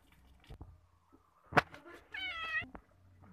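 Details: Domestic cat being bathed gives a single short, clear meow with stacked harmonics, steady then slightly falling, after a few soft knocks and splashes in a small room.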